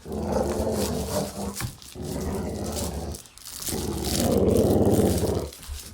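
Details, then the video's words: Playful dog growl indoors: three sustained, rough, low growls, the last and loudest about two seconds long, with short breaks between them. "Dog Play Growling"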